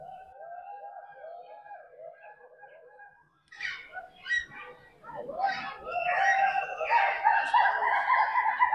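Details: At Alipur Zoo, Kolkata, on a winter afternoon, monkeys in trees above the crocodile canal give quick runs of soft, hooting "hu hu hu" notes, with a person talking over them.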